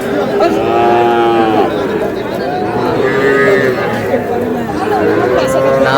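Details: Small bull calves at a cattle market in Madaripur, Bangladesh, on 28 April 2026, giving several drawn-out tonal moos that rise and fall, each about a second long. Steady crowd chatter and trader voices run underneath.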